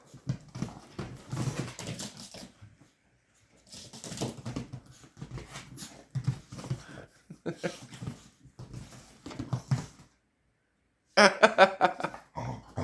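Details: Couch play between Eddie, a Chihuahua puppy, and a larger dog called Bullet, indoors; rapid throaty grumbles and growls come in bursts about 150 times a minute, broken by pauses, ending in a louder, sharper yelping flurry.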